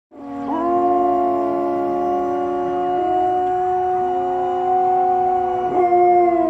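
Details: Samoyed dog howling: a long, steady, tonal howl that swells in quickly and holds a level, slightly wavering pitch for about six seconds, with a short bend near the end.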